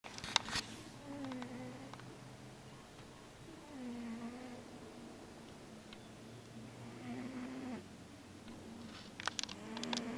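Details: Male Siamese cat snoring and moving in his sleep while dreaming; low tonal, whistly snores with gliding pitch recur every few seconds, rising and falling with each breath, plus a few faint clicks and rustles.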